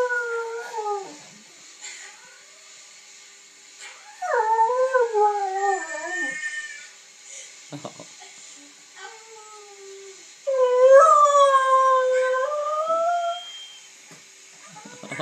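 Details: Pet dogs howling at home: a Siberian Husky puppy being taught to howl by a boy, with a collie joining in. Three long wavering howl bouts with rich harmonics, sliding and dipping in pitch, separated by quieter pauses.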